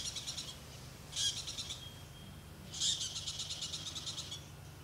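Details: Very loud squirrel in the Okavango Delta, Africa, giving an alarm call: two harsh, high chattering bursts, each opening with a sharp rasp and trailing into a rapid train of clicking pulses, with a low steady hum underneath.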